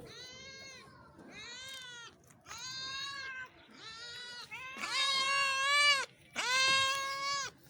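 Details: Cats in Pakistan meowing: a run of about six drawn-out, harmonic meows, each roughly half a second to a second long, with the last two louder, longer and more strained than the first ones.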